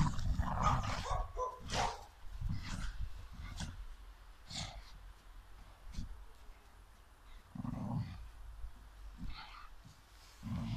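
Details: Staffordshire bull terriers, a mother and her son, play in the snow, giving deep, rough growls and short gruff barks in irregular bursts.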